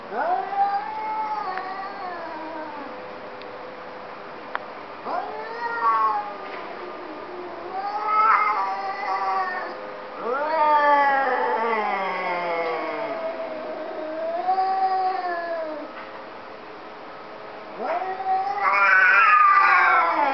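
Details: Pair of cats talking, exchanging a long series of varied meows and caterwauls, some short and chirpy, others drawn-out and wavering, ending with a loud rising yowl.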